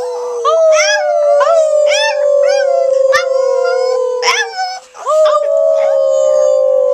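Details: Pet Chihuahua from Silverlake howling on cue: a long, wavering, high-pitched howl that swoops and slides downward, broken by brief yelping rises and ending in another sustained drawn-out note, with faint human voices in the background.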